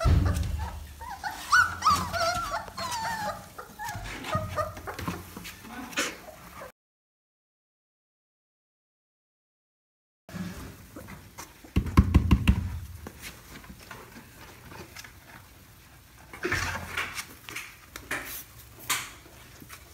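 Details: Labrador Retriever puppies fussing as they try to jump out of a box. High whimpers and short yips come in the opening seconds, then a silent gap. Thumps, scratching and a few louder yelps follow.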